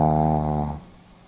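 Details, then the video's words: Brief tail end of a Pomeranian's sleeping snore: a droning, harmonic-rich rasp that cuts off after under a second, leaving near silence. "ポメラニアン 犬のいびき"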